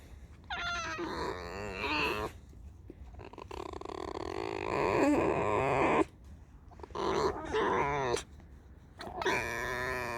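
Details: Tame fox kept at home giving loud squeaky calls: wavering, harmonic, whining squeals in several bursts of one to two seconds separated by short pauses, with a person's voice speaking nearby.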